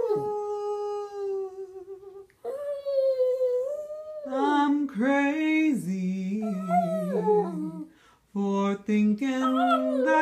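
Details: Female pet dog indoors howling along to a recording of Patsy Cline's "Crazy", which she almost always sings to: long wavering tonal howls that slide up and down in pitch, with short breaks, over the recorded female vocal and music.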